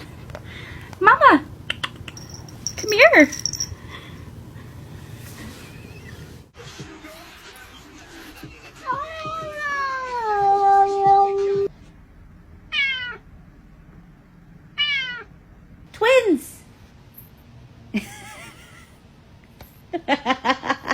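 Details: A house cat indoors gives a long wavering meow, then a run of short, sharply falling meows every couple of seconds. Quiet human speech and household noise fill the background.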